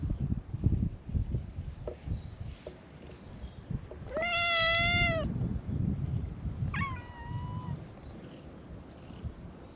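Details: Cats at a gathering on a cat island welcome a visitor with a chorus of cute meows. One clear, bright meow lasts about a second, then a shorter falling meow follows, against low background rumble.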